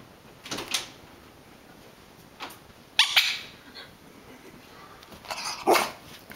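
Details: Catfish, a Rat Terrier, barks while rolling and playing, unsettled by a squeaker toy being squeezed. Sharp, broad barks come in scattered bursts about two seconds apart, against a steady faint high hiss.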